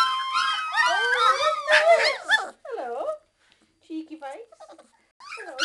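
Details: Three-week-old Old English Sheepdog puppies, hungry and whining for their mother to feed them: several overlapping high, wavering whines and squeals, some rising and falling, with brief quieter gaps between bursts.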